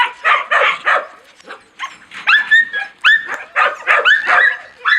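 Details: Husky and laika puppies, recorded 4 June 2016, giving a burst of rough barks followed by short rising yelps and clear whining howls that climb and hold, with brief quiet gaps between calls.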